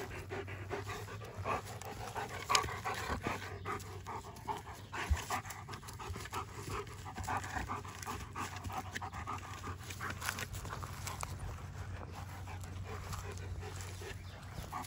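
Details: Odin, a German Shepherd, playing with his favorite toy, a log: steady rhythmic panting breaths run through the whole stretch, rough and breathy, with a few sharper knocks and rustles along the way.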